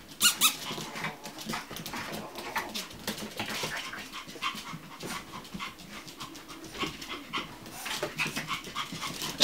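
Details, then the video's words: Chihuahua puppies at a kennel: high, thin squeaking whines scattered through the recording amid rustling and handling noise. "Щенки чихуахуа"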